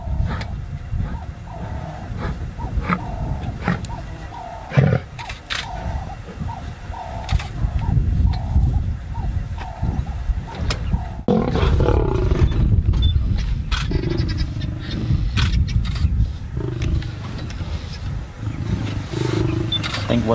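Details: Two young male lions challenge two older pride males in Chobe National Park, Botswana, recorded on safari: deep, rough bellowing grunts in fast pulsing bursts, growing louder and harsher midway, with rumbling noise.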